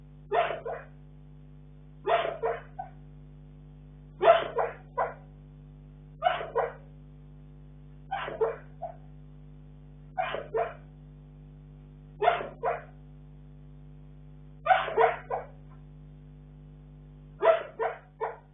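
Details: Bull Terrier. A Bull Terrier makes soft, choppy woofs and yips in its sleep, each a quick burst of several notes repeating roughly every two seconds. A steady low electrical hum runs underneath.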